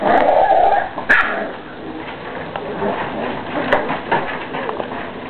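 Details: Puppies playing together, giving short high yips and small barks with whimpering tones, loudest near the start, then scattered sharp yelps over a steady noisy background.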